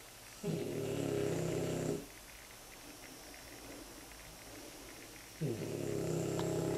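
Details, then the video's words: Two French Bulldog puppies, nine months and nine weeks old, sleeping comfortably in their basket; a low rumbling snore of about one and a half seconds, then a quiet pause, then another snore starting. "Snoring French Bulldog puppies"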